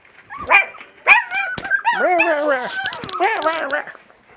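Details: West Siberian Laika puppies at 37 days old, outdoors in a pen for the first time, break into loud overlapping howl-like whines and yelps, several rising then sagging in pitch, ending abruptly.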